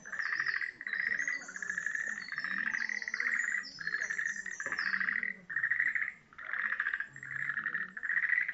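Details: Frogs chorus in the pond at Tenpōrin-ji temple. Dense pulsing trills run almost without pause in overlapping rhythmic bursts, and sharper, higher chirps flicker above them throughout.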